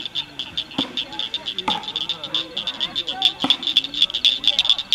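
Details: Blanchard's cricket frogs at Cricket Cove Park near Cygnet, Ohio, May 2006, clicking rapidly and unevenly, the calls growing louder and faster near the end, with a few lower chirps and taps behind.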